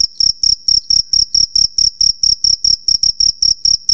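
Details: Cricket (jhingur) male chirping at night by rubbing its wings, a call that attracts females; about sixteen shrill, high pulses in four seconds, each a short burst of rapid ticks over a continuous thin tone.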